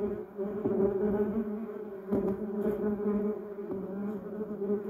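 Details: Garden bumblebees working a yellow cassia shrub and duranta erecta, giving a continuous low buzzing hum with bright overtones and a few louder surges as bees fly near.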